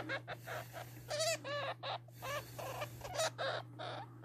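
A hamster gives a run of short, high, chirping squeaks over a steady low electrical hum.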